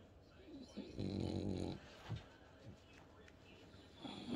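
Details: While watching TV in the home office, French Bulldog Bob talks with his little snorts and grunts. One long, low, rattling grunt lasts nearly a second, then short snuffles follow, with a person speaking nearby.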